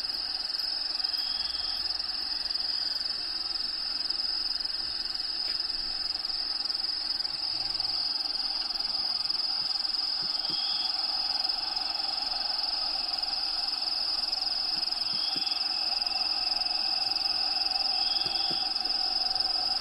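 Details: Crickets within Diego the bearded dragon's vivarium sustain a piercing, even trill, with habitat sounds playing in the background. Short faint whistle-like notes appear several times, and a few soft taps punctuate it.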